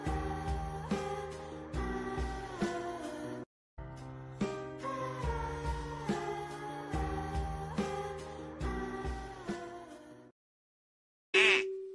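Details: Cheerful instrumental music with bell-like tones plays, pauses briefly, stops, then ends with a short bright burst of sound.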